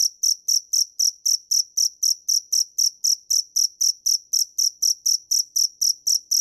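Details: Dế mèn, a field cricket, singing a continuous run of bright, ringing chirps at a brisk regular pace of about four per second, clean and uninterrupted against silent surroundings.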